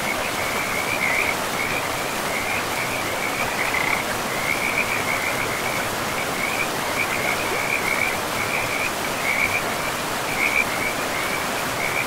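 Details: Frogs calling by a river in a pristine forest, with moss-covered ground and trees: a near-continuous chorus of short, high, chirping croaks in rapid strings, over a steady rushing roar of flowing water.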